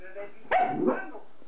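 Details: Jack Russell Terrier producing a single harsh, broadband bark with a short whining tail, set against a low steady background hum.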